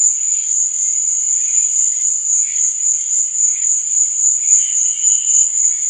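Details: Crickets chirping at night in a relentless high, shimmering trill, with gentle lower pulses of chirping rising and fading roughly each second.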